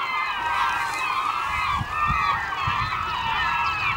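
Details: Beluga whales in the Naknek River on 24 April 2015 at 8:30 am: a dense chorus of overlapping wavering whistles and chirps, sliding up and down in mid-to-high pitch, with scattered low thumps underneath.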